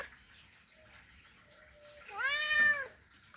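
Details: Male cat calling a female in a mating call: a single arched, wavering meow after a faint, thin tone, in a quiet indoor setting with low background hiss.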